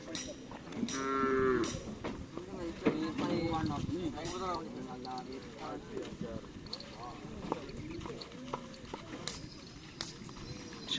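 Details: Bull race training for karapan sapi at Lap Asemanis with Tim Snewen and Tim Paku Alam: a short lowing moo near the start, then several fainter wavering calls over steady crowd chatter and field noise.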